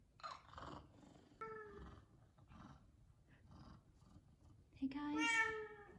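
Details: F2 Savannah cats meow for chicken at feeding time: two loud, clear, rising tonal meows, the second a strong drawn-out cry, with a person talking softly in between.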